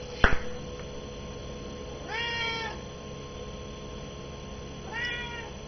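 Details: Hungry cat at noon wanting its chicken meal, giving two clear meows, the first longer and falling at the end, the second shorter, about three seconds apart, after a sharp knock at the start.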